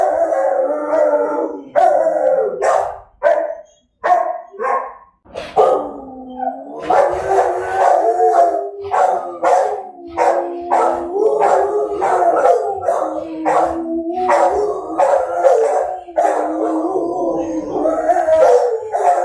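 Dogs howl in long, wavering tones, broken by sharp barks and yelps.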